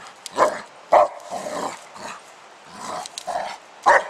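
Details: Dog playing outdoors with a 10 lb weight: short, gruff barks and growly huffs come in irregular bursts, about two a second at peaks, with clattering knocks between.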